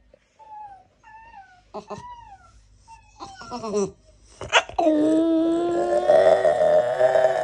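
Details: French Bulldog Naldo, who can't stand cats, gives short, pitched whining yelps that build into a long, loud, drawn-out whine.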